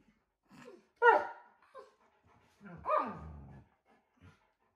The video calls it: Alaskan Malamutes are howling for no reason